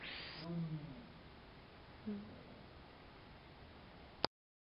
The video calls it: Esturro da onça